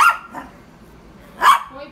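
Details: Yorkshire Terrier barking to provoke: two short, sharp yaps about 1.4 seconds apart, each with a quick fading tail, over a quiet background.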